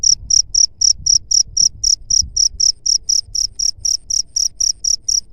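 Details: Cricket, offered as a rat repellent, singing clean high-pitched chirps about four per second, nineteen crisp evenly timed pulses over a soft low rumble in the background.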